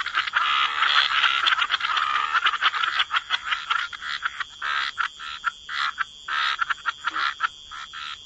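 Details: Frogs croaking in a wetland chorus by the water: a dense overlapping mass of rasping croaks at first, thinning after a few seconds into separate short pulsed croaks with brief pauses between them.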